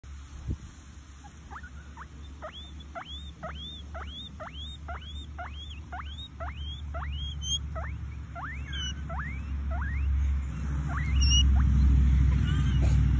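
A guinea pig gives a fast run of high, sharply rising squeaks, several each second.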